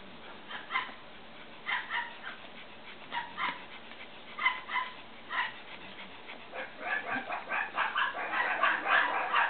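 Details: Cavalier King Charles Spaniel puppies, sired by Danny and Daisy II's litter, one growing sleepy, giving short high yips and whimpers, scattered at first then coming in quick overlapping bursts toward the end.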